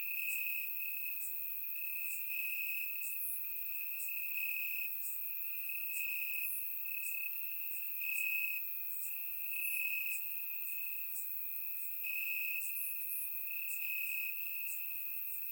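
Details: Night chorus of crickets in Bulgarian grass on a warm summer night: one high continuous trill rings throughout, brightening in pulses every second or two, while several higher, scratchier chirps from further insects sparkle irregularly over it.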